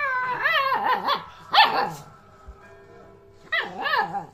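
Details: Talking two-month-old Alaskan Malamute puppy answering its owner: wobbling, up-and-down woo-woo vocal phrases, one sharper yelp in the middle, a pause, then another warbling phrase.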